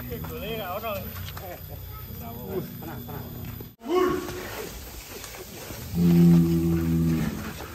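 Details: Massive cattle of nearly one ton being let out of its pen: people talk throughout, then a loud, steady, low moo holds for about a second and a half near the end, with voices continuing around it.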